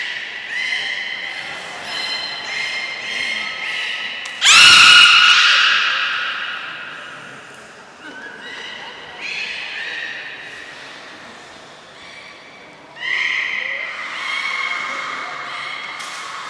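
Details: Port of Nagoya Public Aquarium beluga, 3 November 2023, at feeding and play time: series of short stacked harmonic squeals, a sudden loud broadband burst with a strong squeal, then further clustered squeals and whistles.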